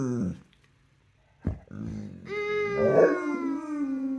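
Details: Rescued pit bull howling along with others: a short sharp burst like a sneeze, then a long, steady, tonal howl that starts with a brief rise and slowly sinks, held to the end with rich overtones.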